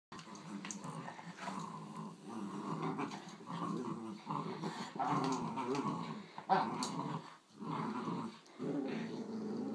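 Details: Two Schnauzers, a giant puppy and a grown miniature, growling in play: sustained rumbling growls in bursts of one to two seconds with brief gaps, a few sharp yips and clatters mixed in, indoors.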